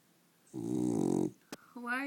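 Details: A female dog snoring while awake: a rattling, pulsed, rough snore lasting under a second, followed by a brief click and a person speaking.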